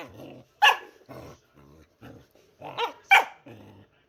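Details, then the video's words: Pet dog making funny noises indoors: low, rumbling growl-moans broken by two sharp, bright yelping barks, each followed by more short throaty grumbles in uneven bursts. "Anni Makes Funny Noises"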